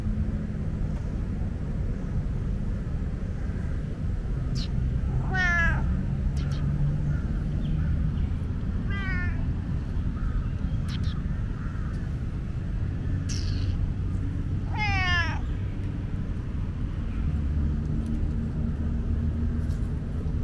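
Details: Chatty tomcat of Lumpini Park letting out three long descending meows spaced several seconds apart, rich in harmonics, over a continuous low rumble of traffic.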